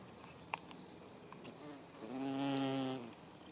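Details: A bumblebee (Bombus) on Himalayan balsam flowers gives a low, steady droning buzz lasting about a second.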